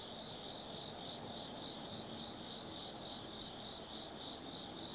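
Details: Night chorus of autumn insects at Tsukimi no Mori, Kaizu, Gifu, Japan, heard from a hilltop viewpoint over the lit Nobi Plain: continuous high-pitched trilling with pulsing chirps, plus soft distant rumble.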